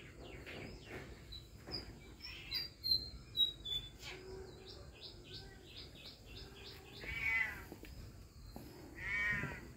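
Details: Cat in the heat, off its food, gives two drawn-out arched meows near the end. Earlier come bright high bird-like chirps and short clicks over a low background rumble.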